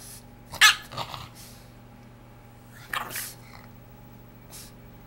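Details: A male Boston Terrier throwing a fit over his brand-new dog bed gives short, breathy snorts and grumbling huffs in scattered bursts.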